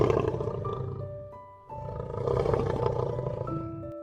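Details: Lion roaring in two long rough bursts, deep and rumbling, separated by a short pause, with gentle instrumental music playing steadily underneath.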